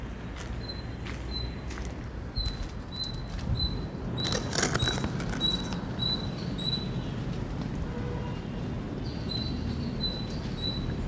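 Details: Indian squirrel sending out loud high-pitched chirps, short squeaks in rapid uneven bursts, with a burst of broad clattering noise partway through and steady low rumble behind.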